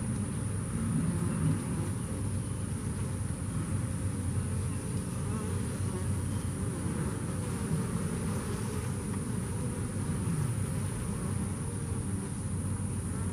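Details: Bees that came through Hurricane Harvey, an even, unbroken deep buzzing hum from many insects, steady in loudness throughout with no other clear sounds.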